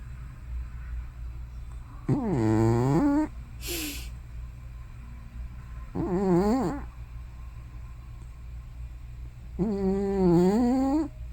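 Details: Hana, an old house cat probably over 15, asleep and snoring or sleep-murmuring: three low, wavering, voiced snores roughly every four seconds, each rising at its end, separated by short breathy hissing exhales.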